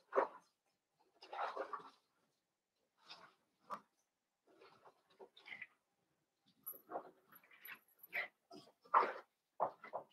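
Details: Litter of five blenheim Cavalier King Charles Spaniel puppies, born on New Year's Eve and Day, in their puppy pen; short squeaky whimpers and small yelps come in irregular bursts with quiet gaps.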